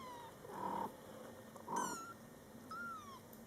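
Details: Mother cat Coco talking to her Scottish Fold kittens in their first month of life, born July 22, 2012: two low, chirping murmurs from the mother answered by a thin, downward-sliding kitten mew, indoors.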